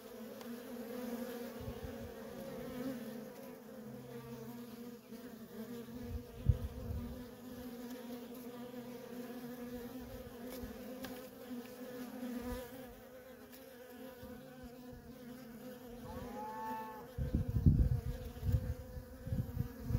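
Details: Nonstop traffic of worker honey bees at a feral colony: an even, two-toned drone, one bee briefly whining past with a rising pitch, and heavy low rumbling bursts in the final seconds.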